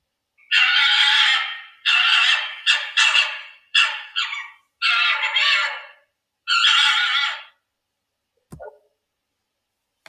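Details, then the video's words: Fox voice played for children during a musical telling of a Romanian folk tale: a series of harsh, raspy screams of about a second each, seven bursts with short gaps, then silence. "Bērni, bet vai jūs zināt, kā skan lapsas balss?"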